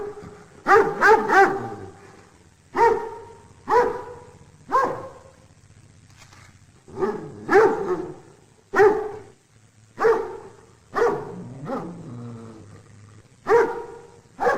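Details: A dog barking in loud single and doubled barks, about fifteen across the stretch, spaced irregularly with short quiet gaps and a low background hum.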